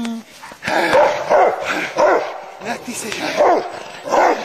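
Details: Rottweiler in a display of herding, bite work and protective instincts; a steady series of deep, forceful barks about every half second, with a brief high tone at the start.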